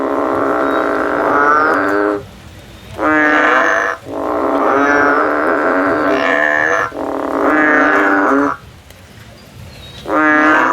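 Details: In the field, a male frog gives a run of five long, reedy, droning calls, some stretching almost three seconds, with short gaps between them and a steady tone throughout.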